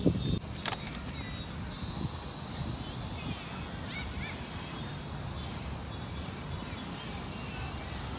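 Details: Cicadas calling in a Tokyo park in summer: a steady, dense, high hissing buzz holds unbroken for the whole stretch, with a few faint higher chirps, soft low rumbling underneath and a couple of sharp clicks near the start.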